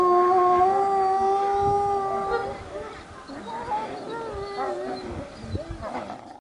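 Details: A gray wolf at Asahiyama Zoo gives a long, steady howl, then wavering, overlapping howls join in.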